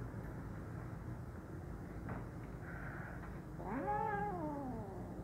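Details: Hungry kitten at mealtime giving one drawn-out, wavering meow that rises and then falls, near the end, over a steady low background hum.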